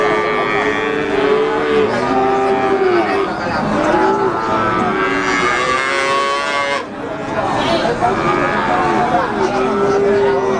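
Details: Limousin cattle at Pati's Wagenan cattle market on 29 May 2018, in the fasting month: several overlapping mooing cattle, drawn-out lowing calls rising and falling through the clip, with a busy background of voices and market noise.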